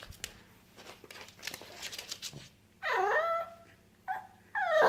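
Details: Derp, a pet pug having a hard time indoors, gives high, nasal whines in three bursts. The longest is drawn out and wavering, and two shorter ones follow, after a stretch of quiet shuffling and soft snuffles in a small room.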